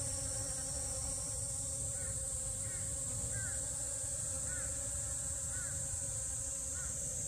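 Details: Honey bees buzzing around allium drumstick flowers in a garden, a continuous low hum, while a bird gives short chirps roughly every second over a steady high insect hiss.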